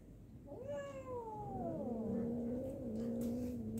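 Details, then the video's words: Domestic cat in a fight, giving a long drawn-out wail that rises, then slides slowly downward and levels into a low, steady moan with rich overtones. "fighting cat"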